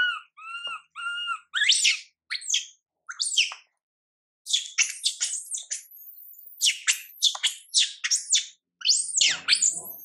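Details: MILA, a young monkey whose mother MILIKA pays her no attention, opens with two whistled whimpers, then bursts into a long series of piercing, rising and falling shrieks, with scuffling noise near the close.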